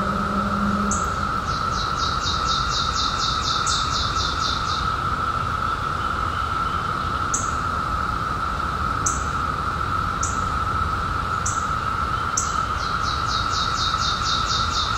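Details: Periodical cicadas emerging in 2021 after a 17-year hiding: a steady, unbroken droning chorus holds one pitch throughout, while rapid bird trills and short sharp chirps repeat above it.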